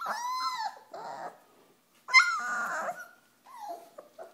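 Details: Pyrenean Mastiff puppies, four weeks old, at play; loud, bright whining yelps in three bursts, each rising sharply then falling into a wavering whine, separated by brief silences.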